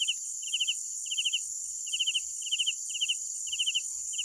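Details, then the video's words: Chirping night crickets: evenly spaced bursts of three or four rapid pulses, a steady high whine behind them. "Sounds of Night Crickets"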